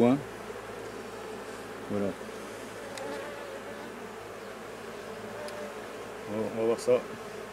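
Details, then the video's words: Continuous dense hum of honey bees from a drone-laying colony being replaced. Short bursts of human voice come briefly at the start and again near the end. "Remplacement des bourdonneuses"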